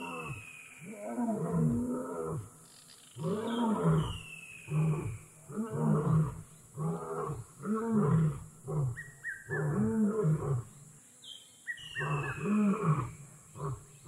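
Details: Wild lion in Kgalagadi Transfrontier Park giving a long roaring series of deep, rounded grunts, about one every one to two seconds, with occasional high, slurred descending bird whistles in the background.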